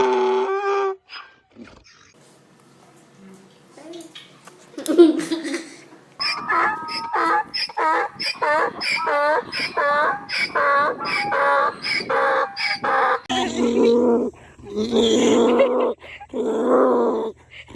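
A donkey brays, rapid wheezy rising notes giving way to long, deep honking blasts.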